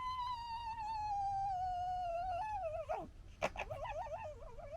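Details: A red fox from the 2021 litter, amid gekkering and fighting, gives a long drawn-out harmonic whine that slowly falls in pitch, then breaks into a sharp crack and rapid wobbling, yodelling squeals.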